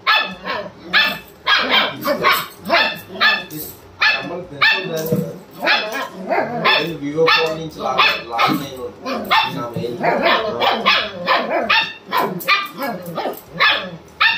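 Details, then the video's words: German Shepherd barking to wake his owner, a dense run of rapid repeated barks mixed with human speech throughout. "harry wakes his mama || harry potter the German shepherd"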